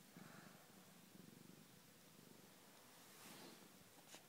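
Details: Cat resting on a sofa, purring in a steady low throb of rapid, even pulses that swells and fades slightly, with faint indoor background and a brief rustle at the close.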